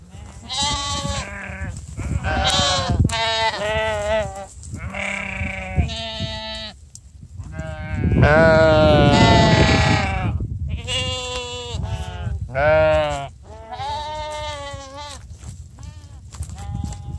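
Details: Sheep gathered for breakfast after being called by their keepers. Many overlapping bleats follow one another, some short and sharp, others long and tremulous, with one loud, drawn-out cry near the middle.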